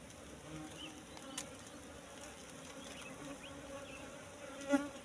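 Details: Asian honey bees from a wild nest discovered among bushes, honey-filled comb; soft continuous droning hum of the colony with a brief louder knock or handling sound near the end.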